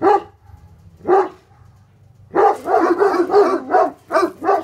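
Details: Two Tornjaks, Bosnian Shepherd livestock guardian dogs named Hattori Hanzo and Leksi, bark at an intruder: two single deep barks a second apart, then a rapid run of six loud, rough barks.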